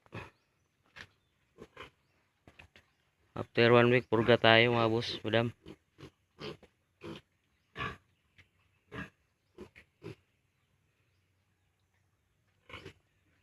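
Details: Farm piglets at 32 days old, before being weaned from the sow, let out a loud, drawn-out harmonic squeal lasting about two seconds, surrounded by many short grunts and clicks, with human speech in the background.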